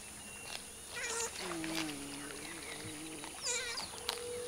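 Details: Wild giant river otters hunting fish in a river in the Brazilian Pantanal give wavering, whining calls, some rising then falling, with a long sliding wail in the middle and a sharp squeal near the end.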